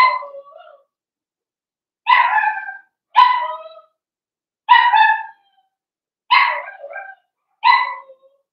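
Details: In a home puppy pen, a young blenheim Cavalier King Charles Spaniel from a New Year's litter of five gives single high, ringing yips roughly every one to two seconds, each with a short trailing whine, in a quiet room.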